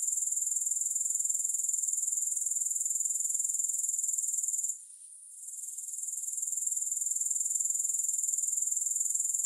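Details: High, piercing insect trill from grasshoppers, built of fast regular pulses that run continuously. It goes quiet for about half a second near the five-second mark and then fades back in to its steady level.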